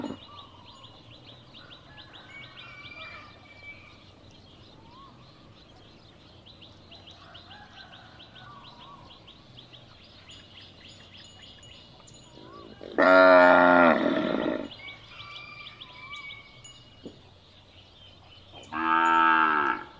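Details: Cattle calling, a sound meant to be played to find a lost calf: after quiet birdsong and chirps, two long, loud, harmonic-rich moos break out near the end, each lasting over a second.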